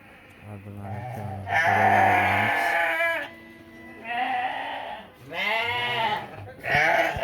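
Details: Ewes and rams at a livestock market among some 700 head brought from a village in Namangan region, Uzbekistan; loud, wavering, harmonic bleats in several bursts of about a second each, separated by brief pauses, with low voices beneath.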